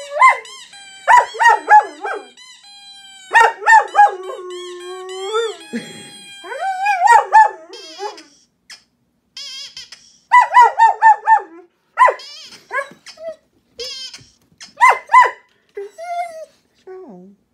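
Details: A German Shepherd, worked up by a squeaky toy noise played on a phone, howls in wavering, yodel-like bursts with short pauses between them.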